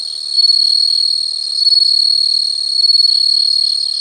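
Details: Insects heard in nature: an unbroken, piercing high trill with a fast buzzy pulse, swelling and easing gently in loudness about every second and a half.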